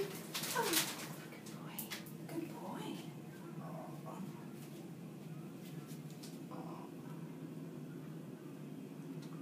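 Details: Siamese barn cat being handled, purring loudly: a steady, low, continuous rumble runs through the whole stretch, with a person's voice and handling noises near the start.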